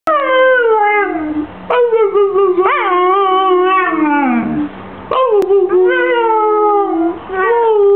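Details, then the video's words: Husky "talking" with long wavering howls, pitch sliding up and down in drawn-out vocal phrases broken by short breaths, rich harmonics, no other sounds. "Stormy the talking husky"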